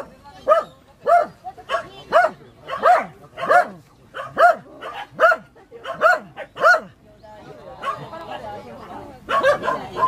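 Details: Welsh Corgi puppies barking, filmed with a GoPro HD HERO2: a run of about a dozen sharp, high yapping barks at a steady pace of roughly two per second, then a pause with a softer, noisy stretch, then more barks.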